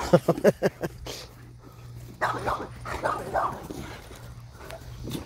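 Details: Irish Wolfhound named Kevin having the zoomies in the yard, opening with a rapid burst of five sharp barks, then softer, drawn-out yips and whimpering sounds trailing off.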